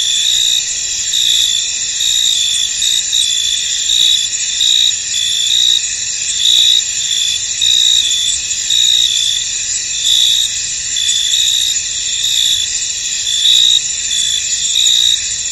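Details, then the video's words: Field crickets chorusing amid mist: a shrill, high, continuous trill punctuated by brighter chirp bursts about once a second, steady throughout with no other voices. "Tranquil Cricket Sounds In An Misty Field"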